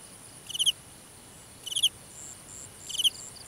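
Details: Grass-field cricket at night, three brief pulsed chirps spaced about one and a quarter seconds apart, each a rapid cluster of clicks, over quiet background insect buzz.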